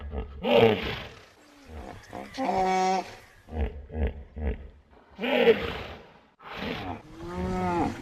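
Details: Hippopotamus calling: two loud, deep honking bursts about five seconds apart, each run through with throbbing low grunts, with shorter pulsed grunts and a drawn-out harmonic bellow between them.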